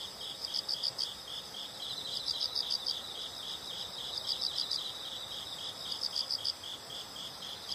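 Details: Faint insect chorus of high rapid chirps in small clustered groups, repeated steadily against a hissy background, from a nature sound recording.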